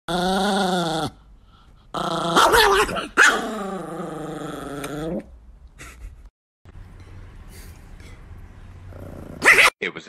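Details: Angry Chihuahua named Nikki, a pet dog, growling and snarling in sustained harmonic bursts with sharp barks between, a man speaking over parts of it.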